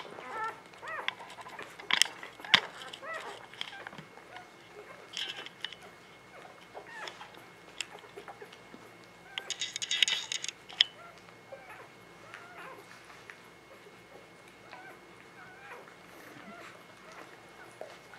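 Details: Spring 2017 litter of newborn puppies (Ava Jericho) squeaking softly, small high whimpers dotted through the stretch with a louder cluster near the middle, then quieter rustling and a faint constant tone.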